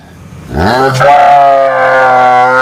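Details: Cow giving one drawn-out harmonic moo. It starts with a rising swoop, then holds steady and loud for about two seconds, with faint background noise before the call.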